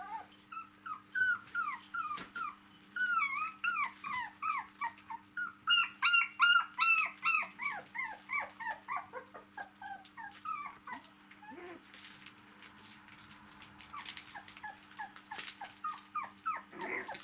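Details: Domestic dog puppies aged four weeks play with their mother, who lies on her back; a long series of rising-and-falling yelping whines, loud and fast for about eleven seconds, then sparse squeaks and shuffling sounds.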